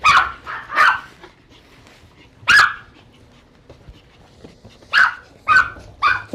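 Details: Groomed dog at a Tampa grooming salon barking loudly, once measured at roughly 110 decibels: two quick barks, a single bark after a pause, then a rapid burst of three sharp barks.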